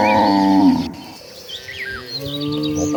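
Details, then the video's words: One of dozens of gentle cattle walking toward a lush green pasture gives a deep, harmonic-rich moo lasting under a second, then fades; small birds chirp with thin, high twitters for the rest of the moment. "Dozens of Gentle Cattle Walking Toward a Lush Green Pasture, with the Sound of Mooing Cows."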